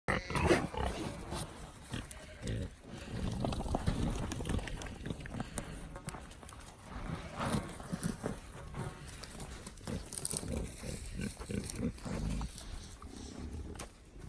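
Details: Wild boar (Sus scrofa) playing with a ball give low, rough grunts and snuffling bursts, with human voices nearby.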